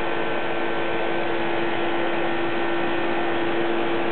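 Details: A steady, droning hum like an indoor appliance or engine runs throughout, with no animal voice.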